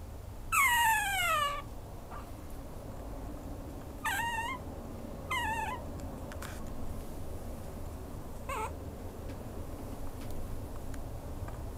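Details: A Maltese–Chihuahua mix dog gives a long, high, descending whine, followed by two shorter falling whimpers, over a steady low background hum.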